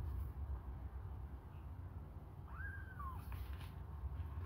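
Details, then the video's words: A single thin, arched mew rises and falls over half a second as hungry kittens suckle a finger, with a low background rumble throughout. "babies hungry they suckle my fingure"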